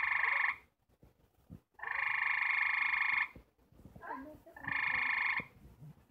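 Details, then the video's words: Four gray treefrogs trying to mate give loud, musical trills in short bursts, their mating call. "GREY TREE FROG MATING CALL"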